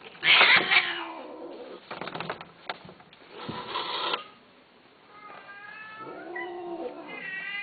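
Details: Male and female Himalayan Persian cats mating; harsh, loud, spitting bursts and rasping hisses open, followed after a quiet gap by a wavering, strongly harmonic yowl that builds toward the end.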